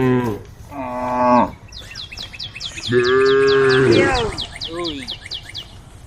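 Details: ['Female cows on a road calling the herd, giving two harmonic moos, the second longer and wavering at its end, while a bird chirps rapidly and repeatedly in the background.']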